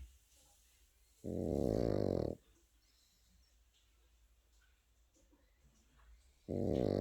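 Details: Sleeping Pekingese puppy giving a long, harsh snore of over a second, then a quiet pause of about four seconds before the next rough snort begins.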